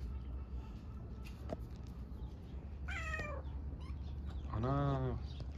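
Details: Stray kitten and its mother living on Istanbul streets, wanting love rather than food; two drawn-out rising-then-falling meows a second apart, the second fuller and lower, against constant low traffic hum and a quiet voice.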